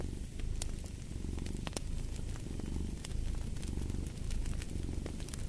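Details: Domestic cat purring in a low, steady rumble that swells and eases with each breath, about once a second, alongside sharp crackles and pops from a fireplace.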